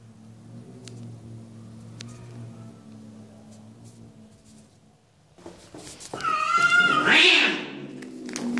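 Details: A cat gives a loud, drawn-out meow, wavering and rising then falling, after several seconds of low background music; a second shorter cry follows at the end.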